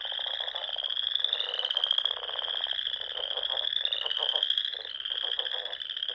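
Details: Dusk chorus of frogs in spring in the rolling dunes of Nebraska's Sandhills: continuous high-pitched trilling with slight pitch shifts, over a bed of rhythmic lower croaks pulsing in short runs.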